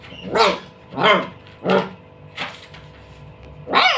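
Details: A dog barks while playing with a ball: five sharp harmonic barks spaced roughly every two-thirds of a second, each rising then falling in pitch, with quieter gaps between.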